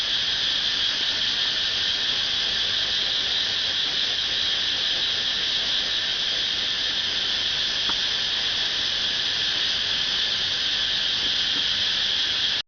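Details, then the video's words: Cicada singing outside a home in Pathum Thani, Thailand: a continuous shrill electric buzz held at even volume for the whole stretch, with a faint click partway through. "Cicada sound ดูการสร้างเสียงของจั๊กจั่น"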